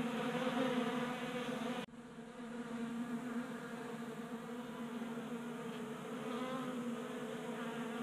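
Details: Honey bees crowding a 3D-printed feeder on a garage workbench in Colorado, active on a warm January day. A continuous layered buzzing drone, with a sudden break in the sound near the second mark before the humming resumes evenly.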